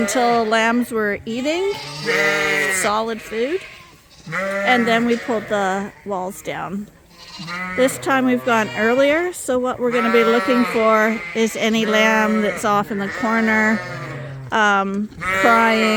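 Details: A barn full of Suffolk lambs, separate groups merged after an escape, racing and calling; a long run of trembling, overlapping bleats, many short and some drawn out, broken by a few brief lulls.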